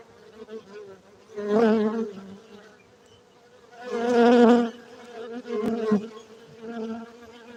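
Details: Honey bees kept for honey production in Bener Meriah, Gayo highlands of Aceh, Indonesia: a continuous low hum rising into two strong, rich-toned surges of buzzing as insects fly near, with quieter droning between.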